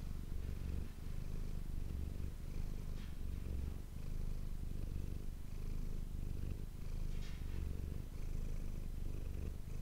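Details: Manis, a domestic cat, purring for an ASMR recording made with an ASMR microphone; a steady, deep rumbling purr that swells and fades in a regular rhythm of roughly one cycle per second, with a few faint soft clicks.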